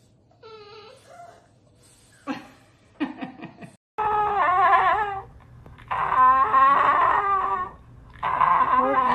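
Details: French Bulldog giving drawn-out, wavering whining howls in three long bursts separated by short pauses, after a faint high whimper and a few sharp clicks or knocks.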